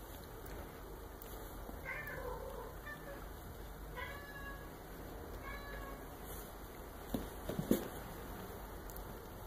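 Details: Soft, high-pitched mews from 1.5-month-old Maine Coon kittens come and go, each a short wavering cry. A constant thin electrical whine runs underneath, and a few dull knocks sound near the end.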